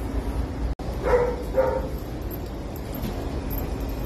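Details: Boston Terrier puppy Java, a nervous female on her first pet store visit, lets out a pair of brief, bright barks about half a second apart after a short dropout, over a low indoor drone.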